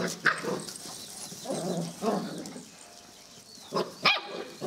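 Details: Puppies of the Lievä litter, born 24 April 2013, give short high barks and yips: one sharp yip, a pair of softer barks near the middle, then two quick yelps close together at the end, with low background rustling.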